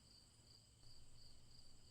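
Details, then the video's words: Crickets chirping in a steady, high-pitched chorus, with brighter pulses recurring about twice a second over a continuous shrill tone, set against a low, constant hum. "Crickets Chirping"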